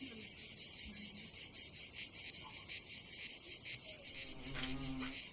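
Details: Cicadas calling on a summer day at a campsite above the Adriatic Sea in Croatia: a dense, high, steady buzzing chorus with a gentle pulsing texture, while people talk faintly in the background.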